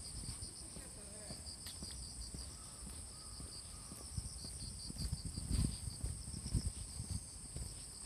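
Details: Autumn insects chorusing on the morning of 6 September 2020 in Fujimori Park, Hachioji, during light drizzle after rain. Two steady high-pitched trilling bands run unbroken over low rumbling background noise and a few faint thuds.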